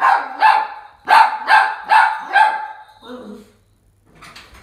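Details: A toy poodle gives a quick run of high, excited yipping barks, welcoming the father of the house home late at night after waiting up, sleepy and worn out.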